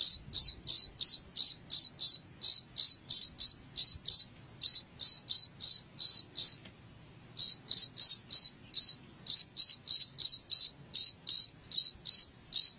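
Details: Cricket chirps played as a rat repellent: short bright pulses repeated about three times a second in a steady train, with one brief pause midway and a faint low hum beneath.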